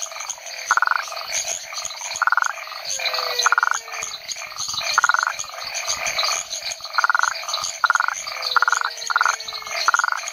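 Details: Rhinella cf. paraguayensis calling in the Chiquitania lowlands of Bolivia, Chiquitos research station: clipped, buzzing pulse-trains in irregular runs, some close together, over a constant chorus of other frogs and insects and a few falling whistles.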